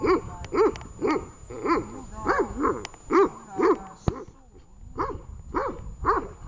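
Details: A dog called Tash barks steadily during training in Horlivka, 18 August 2019: rapid, evenly spaced woofs about twice a second, a short pause partway through, then the barking resumes, with faint voices underneath.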